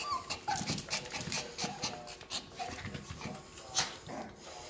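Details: Two baby Yorkshire Terrier puppies, offspring of a silkie-coated Yorkie named Vern, indoors; short high squeaky whimpers and soft yelps come in quick bursts, with faint handling noises and rustling around them.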